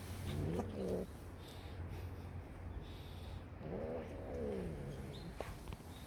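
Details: Kitten on its first outing to a park, let outside because it wanted to go out: two drawn-out meows, the first short and the second longer with a rising then falling pitch, over a low steady background rumble.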